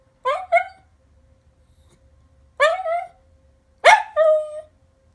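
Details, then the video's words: Henry, a pet dog, sings along with the monthly city test siren: three bursts of yelping, rising-then-falling howls, each split into two quick notes, with a faint steady tone between them. "Henry Sings Along With Test Siren!"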